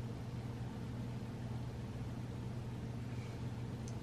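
A steady low engine hum, like a vehicle idling, fills the recording with no animal calls.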